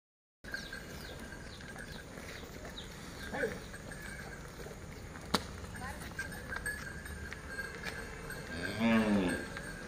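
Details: Hallikar oxen, a pair being walked by a farmer through Tumkur City, with one low harmonic-rich moo near the end rising then falling, over steady street noise, traffic and faint voices.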